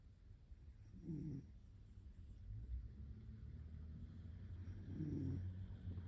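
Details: Zuka, a pet cat, sleeping in a lap in bed and snoring; soft low rumbling breaths with two brief raspier snorts about four seconds apart over a steady low hum.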